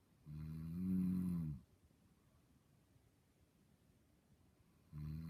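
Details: Dog snoring in its sleep while dreaming: one deep rumbling snore over a second long, a silent pause of three seconds, then the next snore beginning.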